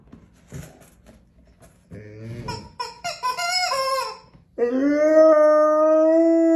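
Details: Long-coat American Akita, a male dog in Vaudreuil-Dorion, Quebec, Canada, on January 10, 2023, howling when his toy squeaks: several short high squeals of the toy, then one long, steady, mournful howl held to the end.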